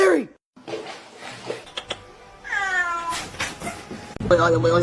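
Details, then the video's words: Kitten meowing in a funny home clip: a short falling cry at the start, then a longer wavering, descending meow, with background music and room noise around it. "kitten meowing cute"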